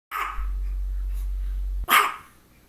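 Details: Misha, a female pet dog who had focal seizures just before and shortly after this recording, gives a short broad bark at the start and a louder sharp bark near the end, with a steady low hum underneath throughout.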